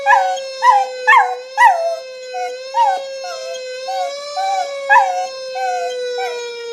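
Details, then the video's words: Pet dog howling with a fire engine siren sound effect: several loud, bending howls at first, then softer, drawn-out wails over the steady siren. "Dog howling with fire engine sound effect"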